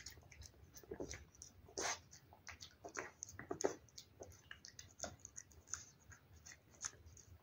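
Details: Eating wet food, a cat makes crisp, separated licking clicks and wet smacks, spaced irregularly, with a few louder bites standing out against near silence.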